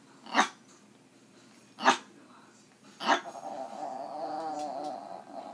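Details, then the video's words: A pet Yorkshire terrier 'talking' to its owner after being coaxed: three brief sharp yips about 1.4 seconds apart, then a sustained wavering, moaning growl-like grumble lasting around two seconds. "My yorkie can talk"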